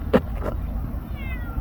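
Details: Stray cats that have come a long way out to greet their caregiver: one short, sharp meow, then a fainter second one, over a low rumbling background with a faint falling whine.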